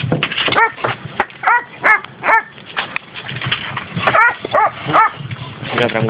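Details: Shrill, repeated yaps and whimpering barks, roughly two per second, from six labrador and schnauzer cross dogs, young to twelve years old, in rural Valencia province, Spain, with people speaking nearby.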